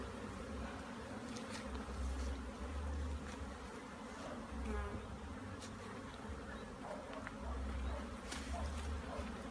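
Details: Bees at a hive in Jamaica during an inspection, as smoke is applied to calm them. A dense low buzzing drone swells and eases in pulses every couple of seconds, with light crackling and handling noises over it.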